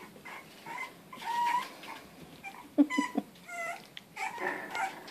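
English Bulldog puppies give high, wavering whimpers and a burst of sharp yips.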